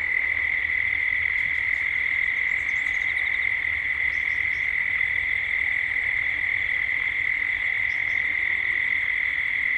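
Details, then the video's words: Cicadas at dusk in Gippsland, Australia, with birds and other sounds increasing towards dusk: a steady, unbroken droning hum holds one pitch throughout, and faint high chirps flicker above it. "Cicadas at dusk"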